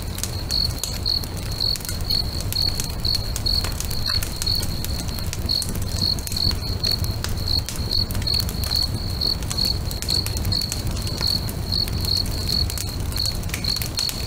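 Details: Crickets beside a lake at sunset chirp in a continuous regular series of brief high pulses, about two a second, as a bonfire crackles loudly with frequent snaps.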